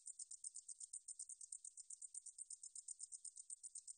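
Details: High, sizzling pulse train of a Deungjul-eori-ssaekssaegi katydid, National Institute of Biological Resources 2020 recording; about seven crisp, even chirps per second, clean with no other noise.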